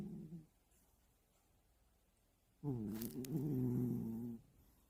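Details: Sleeping pet cat snoring in a cozy hide house at home; one short snore fades out, then after a quiet pause comes a longer, deep, buzzy harmonic snore lasting nearly two seconds, with a faint click.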